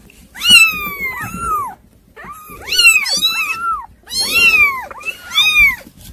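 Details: Kittens described as hard to control, meowing loudly indoors: high, arching cries with rich harmonics, in three bursts of overlapping calls from several kittens, some in quick doubled pairs.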